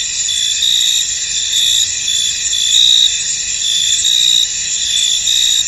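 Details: Crickets in a misty field, a steady high shimmering drone overlaid with brighter pulsed chirps recurring roughly every second, layered and continuous with no other sounds standing out.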